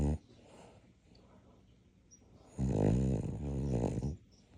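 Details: Sleeping dog giving a deep, buzzing snore with two throbbing pulses after a stretch of quiet breathing indoors.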